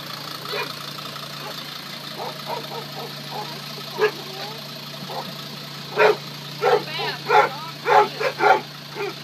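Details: Young female British Labrador Retriever puppy arriving at her new home: scattered soft squeaks early on, then a run of six sharp, high yelps between six and nine seconds, over a steady low electrical hum.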